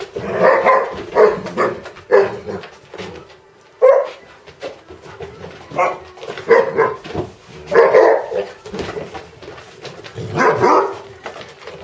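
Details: Basset Hound barking at home, a rough play battle with another dog; harsh mid-pitched barks and growly yelps in irregular bursts, with a person talking between them.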